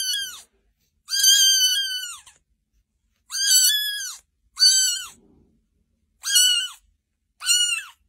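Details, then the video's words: Cat in a TikTok compilation of funny and baby cats, giving loud drawn-out meows in a clean room, six calls with pauses, each level then falling at the end, no other sounds. "Funny And Baby Cats Videos By TikTok 2021 - These Cats Are So Cute"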